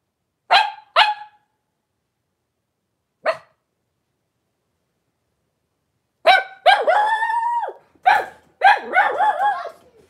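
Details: Blenheim Cavalier King Charles Spaniels in a home puppy pen: mother Paris with her five puppies, born at New Year and sired by Spike, 26 January 2023. Two quick shrill yips, a lone yip, then a burst of longer harmonic yelping barks.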